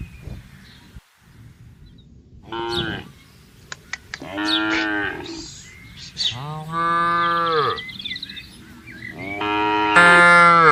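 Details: Tame cattle herd roaming freely and grazing in a large green garden: four long, drawn-out harmonic moos, the later ones louder and rising at the end, spaced a few seconds apart, with faint bird chirps between.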